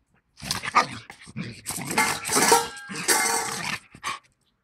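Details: A Bull Terrier trying to fight growls in rasping, uneven bursts, some rising into harsh bark-like snarls, in quick irregular runs; a person's voice may be faintly heard nearby.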